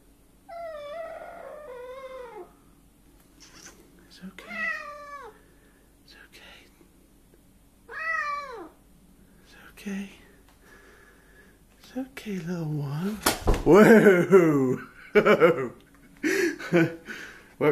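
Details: Stray cat indoors in a kitchen, agitated, uttering several falling, wavering meows a few seconds apart, followed by a burst of louder harsh yowling and clatter near the end; a person talks soothingly nearby.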